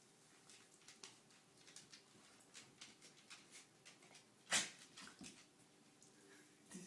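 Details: Indoor pet dog, sneezing said to show it is happy: quiet sniffing and faint snuffles, then a single sudden explosive sneeze past the middle, followed by a few softer puffs.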